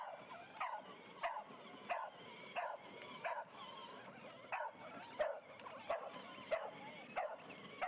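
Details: A pet dog racing a girl on a quad in the street gives a run of short sharp barks or yips, roughly one every 0.6 seconds, steady and repeated through the stretch over a faint background hum.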